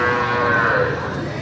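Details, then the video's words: A cow moos in a long, steady, harmonic-rich bellow that sounds like crying, with a slight waver in the middle and a gradual fade toward the end. "UMIIYAK ANG BAKA nakakaawa"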